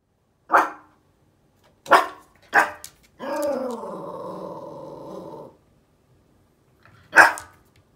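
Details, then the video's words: Angry female Yorkshire Terrier puppy, just under 11 months old, bothered by something behind a door: three sharp barks, then a long harmonic growl of about two seconds, and a final bark. "Angry Yorkie"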